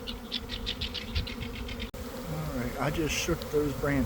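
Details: Bees of a swarming honey bee colony in a garden, afternoon after a cold damp week: a rapid rhythmic ticking pulse, then a brief cut and a steady hum with bending buzzes of nearby bees.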